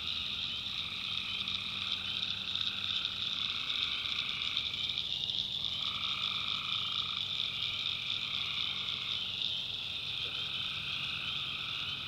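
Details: Swamp at night in the North Carolina backwoods, tree frogs massed in a steady high-pitched trilling chorus, mid-range callers pausing briefly near five seconds and again near nine, over a soft low drone.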